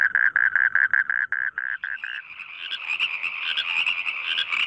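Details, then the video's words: Frogs singing in rice fields in Indonesia, described as melodious: quick regular pulsed croaks about two and a half per second, shifting midway into a higher, denser overlapping chorus of many callers. "suara katak di sawah merdu"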